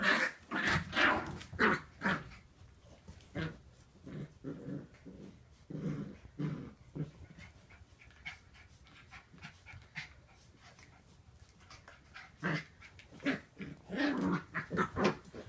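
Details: Wire Fox Terrier puppies Nicholas and Noelle romping together at Wire Fox Terrier Rescue Midwest: rough, breathy huffs in short uneven clusters, with a quieter gap midway before the bursts pick up again.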